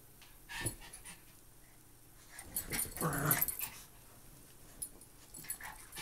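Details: Two Maltese dogs playing: after quiet scuffling, one lets out a gruff, rasping growl lasting about a second, then light taps and rustles follow.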